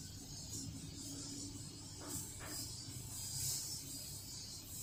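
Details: High shrill cicada buzz, beating rapidly and evenly, recorded alongside Toto-kun the cat, with soft low hum and a couple of brief faint rustles underneath.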